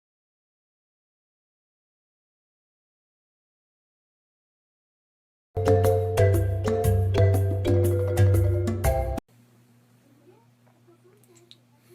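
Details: Five seconds of silence, then a short burst of bright mallet-percussion music with a steady beat, cut off abruptly and followed by a faint low hum.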